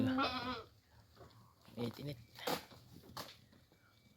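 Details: Goats being fed grass before being let out; a single short, wavering harmonic bleat opens the recording, followed by a man speaking Filipino and some handling noises.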